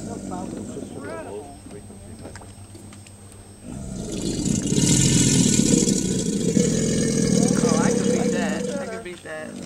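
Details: Male American alligators (Alligator mississippiensis) crowd the low dry-season waters of the Anhinga Trail, Everglades National Park. One gives a deep, rumbling bellow, rising from the water as it vibrates, over excited voices: a territorial and mating display.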